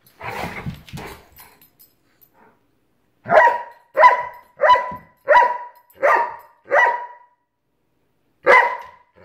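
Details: Giant Schnauzer, pet dog playing with a Miniature Schnauzer: a couple of low grumbling sounds open, then six sharp, evenly spaced barks roughly every 0.7 seconds, and one more bark after a short pause.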